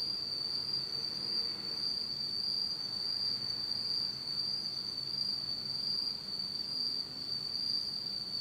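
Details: Autumn night insects in Japan, recorded in total darkness, keep up a continuous piercing high trill at an even pitch, with a slight pulsing texture and a quiet background hush.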